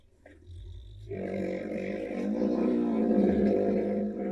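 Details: Two wild rhinos sparring in an African reserve, giving squeaky vocalisations while fighting; low rumbling noise at first, then a sustained, buzzy, nasal squealing tone that swells and holds for about three seconds.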